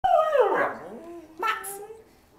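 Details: Male pet dog giving a short howl: a harmonic tone sliding down over about half a second, then a second, softer wavering rise, with a brief high squeak.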